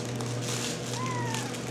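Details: A 10-week-old RagaMuffin kitten gives a single thin meow, a smooth tone that starts mid-clip and slides gently downward for about half a second, over a steady low electrical hum.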